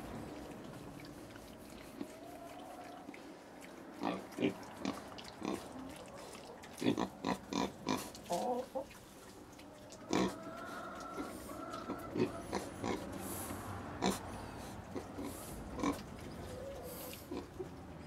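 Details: Little pigs in China: bursts of short grunts clustered mid-recording over a steady hum, with some faint whining tones and scattered clicks.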